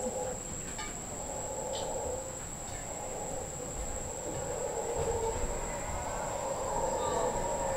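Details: Howler monkeys in the Osa, Costa Rica, recorded from a patio at Casa Sonrisa. Their droning roar rises and falls and grows louder toward the end. A steady high insect tone and a few brief chirps sound behind it.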